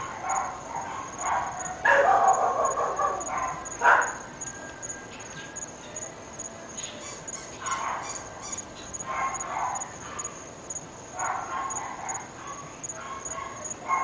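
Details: Barking from three pet dogs in North Bay Village, described as going on all day and night: loud clustered barks near the start, then rapid repeated yapping bursts, over a constant high-pitched insect chirr.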